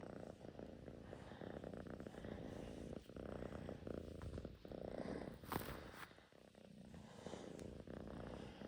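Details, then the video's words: Russian Blue cat purring close by, a quiet, steady low rumble that swells and fades with its breathing, with faint rustles over the top. "Purring machine is on"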